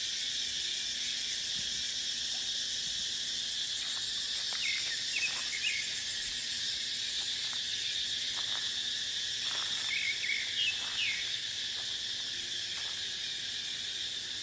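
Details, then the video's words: Cicadas in a dry dipterocarp forest during the dry season, keeping up a continuous hissing, high buzz. Brief twittering bird notes appear twice, and faint clicks and wind sound in the background. "เสียงจั๊กจั่น สายลม ในป่าเต็งรังยามหน้าแล้ง"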